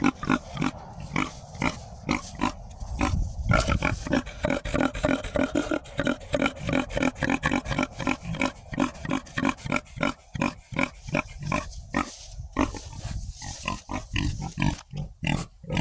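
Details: Farm pigs calling while interacting, steady stream of quick coarse grunts and snorting oinks, densely packed and nearly continuous, with a few louder squeal-like bursts toward the end.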